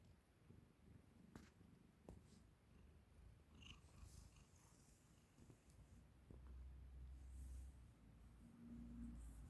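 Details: Ragamuffin cat indoors, fighting with a hair tie while purring: a soft, low, continuous rumble runs through, with scattered light clicks and rustles from the play.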